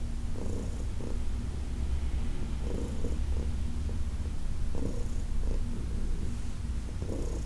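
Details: Heidi, a senior female cat adopted from the Humane Society of New York City, purring during a massage on August 4, 2021; a steady deep rumbling purr runs throughout, with soft rustling bursts from the handling.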